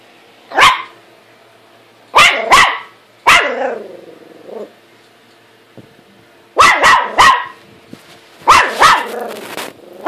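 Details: Buddy, a pet dog, barking at his own reflection in a mirror: sharp single and doubled barks in bursts, some trailing into a brief growl, with quiet gaps between volleys.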